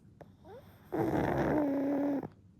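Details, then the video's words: A one-year-old pug named Goemon, drifting back into sleep, makes one steady nasal snore lasting over a second. It has a faint whistling overtone, with soft small noises before it. "イビキをかきながら二度寝する｜ブサかわいいゴエモン Goemon the Pug Snoring & Sleeping Again"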